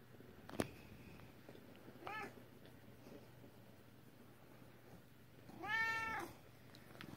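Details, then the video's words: Two meows from a female British Shorthair cat: a faint short one at about two seconds, then a louder, longer drawn-out cry near the end, with a sharp click at the start and low background hum. "My Cute British Shorthair, Her Meow is Adorable"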